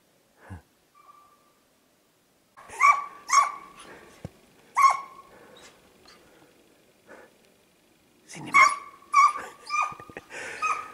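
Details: Hare hunting with a Russian hound, the dog giving chase barks in pursuit; irregular clusters of sharp, ringing barks, a pair near the start, a single one mid-way, then a quicker burst of five or six toward the end, with quiet gaps between.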